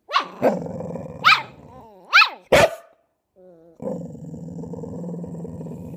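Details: Fox terrier puppy and a chow chow mix dog vocalising at each other as if talking: rising whiny yelps and sharp barks in quick succession, then a steady low growl running through the last two seconds.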